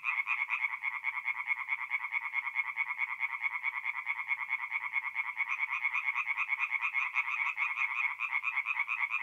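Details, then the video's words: Tree frog chorus at night from a north-east Italian forest pond in mid-April: loud, steady trains of fast, nasal croaks from many frogs blending into a continuous pulsing rattle, with no other sounds. "relaxing forest pond by night with singing tree frogs"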